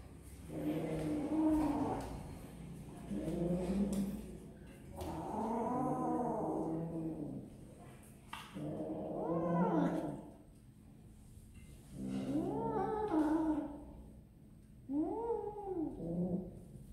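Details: Kittens eating snacks, giving a series of harmonic, arching meows, each about a second long, in five bursts spaced by short pauses, with a faint steady high whine in the background.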